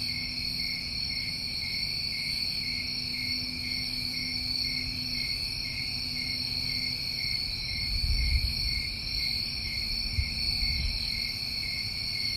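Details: Summer cricket chorus from New England, steady piercing trills in overlapping layers, with a faint low tone in the first half and a few dull low thumps near the end.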